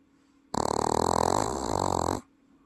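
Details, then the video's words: One long, throaty snore from a slumbering pet Welsh Corgi in Paju, South Korea: a steady buzzing rattle lasting nearly two seconds, so loud it resembles an adult person snoring, then quiet. "사람인줄ㅋㅋㅋ내고막을 흔드는자! 우와! 대박! 코골이방지협회 가입해야 할듯..."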